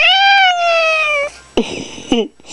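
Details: Orange male Manx cat, annoyed while being teased indoors, gives a long, loud, drawn-out meow that slowly falls in pitch, then two short, rough chirping calls; a person softly says "kitty" around it.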